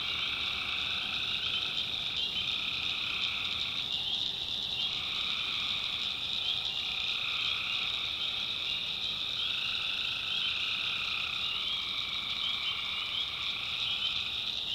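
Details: Many tree frogs trilling together at night in the North Carolina backwoods, a constant high shrill wall of sound with a lower, pulsing voice joining in bursts of a few seconds.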